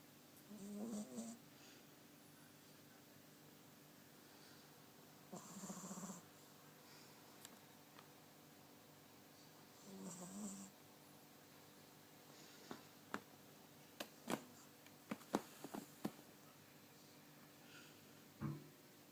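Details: A 20-week-old Cavalier King Charles Spaniel puppy snores in soft, rasping breaths about every five seconds.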